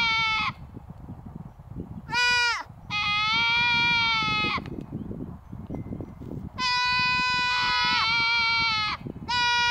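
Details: Grass-cutting goats at the Mace Ranch Wildlife Area bleat repeatedly, several harsh, buzzy calls, some long and overlapping as more than one animal joins in, with brief gaps of rustling background noise.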